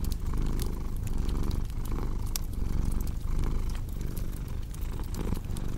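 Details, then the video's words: Cat's deep purr under cozy fireplace crackle, its low throbbing rising and easing in slow breath cycles near one per second, while bright fire pops and clicks scatter over the top. "Purring Cat with Cozy Crackling Fireplace Sound"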